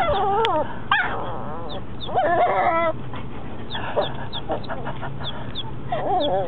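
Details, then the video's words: Mocha, a four-month-old puppy, during its first barks: wavering high whimpers and squeaky yips that slide up and down, one short sharp yelp, and soft repeated high chirps behind. "Mocha first time barking"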